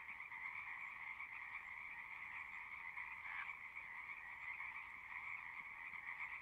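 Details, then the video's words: A frog chorus in nature: countless overlapping high trills merge into a steady, buzzing drone on two pitch levels, one slightly louder note briefly poking out near the middle. "One hour of singing frogs."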